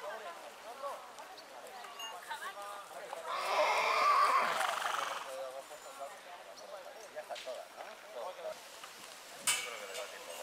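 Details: Springtime neigh from a purebred horse: a single broad, rough whinny swelling in the middle of the clip and fading after about three seconds, with quiet background noise and a sharp knock near the end.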